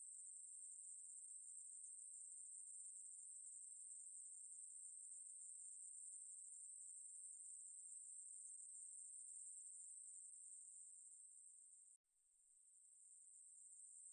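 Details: Ruspolia katydid singing in a steady, shrill, continuous buzz, from National Institute of Biological Resources material, 2020. The buzz cuts out abruptly near the twelve-second mark, then swells back in.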